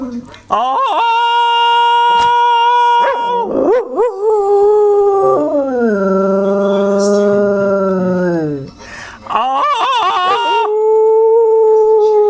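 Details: A male beagle-spaniel cross dog gives long, drawn-out howls that waver and slide, broken by short yelping wobbles, excited before a walk, while a human voice briefly joins in on lower, falling notes.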